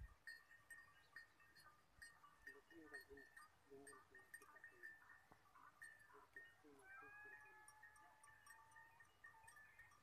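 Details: Goats in a herd heading home from the forest in the evening, Thar Desert. Repeated bell-like tinkles run throughout, with a few soft short calls early and a longer wavering bleat near the end.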